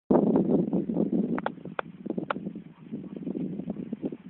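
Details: Dog panting in quick, breathy bursts at about two to three per second, broadband and rough, with a few sharper clicks near the middle; faint outdoor rustle in the background.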